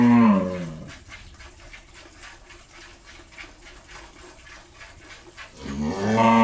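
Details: First-calf Jersey-Mundi cross cow at a Pabna, Bangladesh dairy farm, bull calf alongside, lows twice: a falling moo at the start and another swelling moo at the end, separated by quiet with faint regular tapping.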